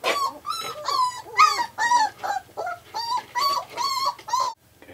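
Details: Five-week-old Australian Shepherd puppies whimper and yip in a rapid series of about a dozen short, high, wavering cries, each rising then falling, with a brief quiet gap just before the end.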